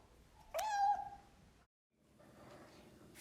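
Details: Domestic cat indoors, fed by a young girl before bedtime: one clear, drawn-out meow, strong at first then held at an even pitch for about half a second. Afterwards come quiet room rustling and a brief silence.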